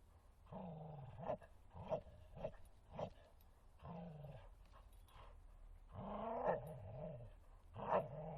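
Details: Bull Terrier named Martin playing in a forest, giving bursts of low rumbling growls and short gruff vocal noises, each lasting about half a second to a second, with brief quiet gaps between them.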